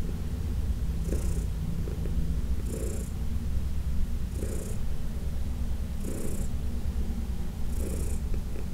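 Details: Fourteen-year-old rescue cat Heidi from the Humane Society of New York City, getting a massage in June 2021, gives a constant low purr; light hissing strokes of the hand recur about every one and a half seconds.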